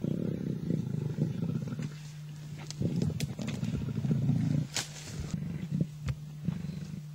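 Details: Two male lions tug at a kill in Africa. Low, rough growling runs almost continuously with louder surges, over a steady engine hum and a few faint clicks.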